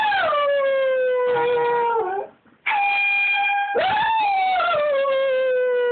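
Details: Household dog howls in response to an air horn app: a long falling howl, a brief gap, a steady horn blast, then another drawn-out howl sliding downward.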